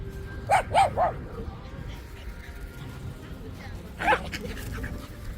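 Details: Shiba Inu at a dog run in Hokkaido Ballpark F Village, Japan, under a cold sky: three quick sharp barks in the first second, then one more after a pause, over murmuring voices and soft background music.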